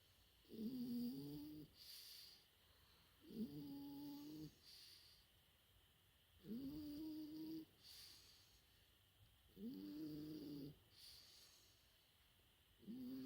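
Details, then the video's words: Four-month-old French Bulldog puppy snoring in sleep: five drawn-out nasal snores, each about a second long with a steady droning tone, spaced roughly every three seconds, breathy hiss between them. "子犬のいびき フレンチブルドッグ"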